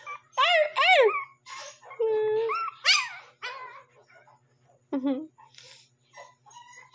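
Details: A Shih Tzu puppy, one month and seven days old, barking indoors around midnight: a pair of high, arched yelping barks early on, then scattered whiny yips and one low short bark, mixed with human voices.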